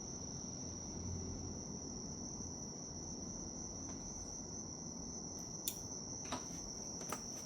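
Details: Bell cricket chirring as a healing nature sound: an unbroken high metallic ring, with a few sharp clicks near the end and a soft low rumble.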